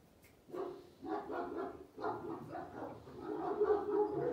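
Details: Two Kangal puppies, one karakırcıl and one boz karabaş in coat, give high, harmonic yelping barks in quick overlapping bursts that grow louder and slightly higher toward the end.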